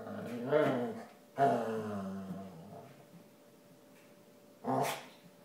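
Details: Female basset hound groaning as she stands on her ears; a strained moan, then a longer low descending groan, quiet pause, and a short final groan burst.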